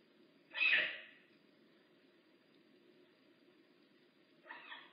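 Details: Makani, a rehab bobcat at Big Cat Rescue, gives one loud, harsh, mewing call, then a fainter second one about four seconds later, over a steady low hum.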